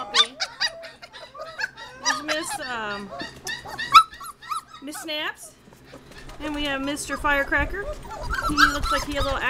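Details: Crated Border Collie puppies aged 25 days whining and squeaking in short bursts, a person's voice mixed in, with quieter gaps before a fresh chorus of rippling yelps near the end.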